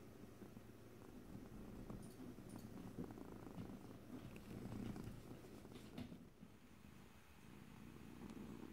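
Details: Soft, close cat purring recorded ear to ear in stereo without talking: a gentle low rumble with rhythmic breath swells, a few light ticks and rustles, and a brief rustling noise near six seconds.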